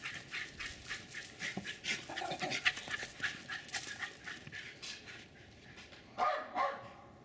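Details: Two Jack Russell Terriers run and chase around a backyard in Lenexa, Kansas, with the male doing almost all the barking: quick, sharp barks in an uneven, tumbling run with heavy panting, and a louder pair of yaps near the end.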